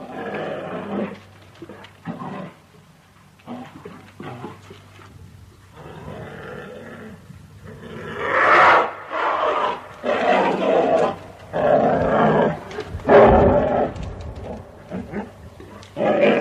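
An American black bear gives a series of rough, throaty huffs and growls in uneven bursts.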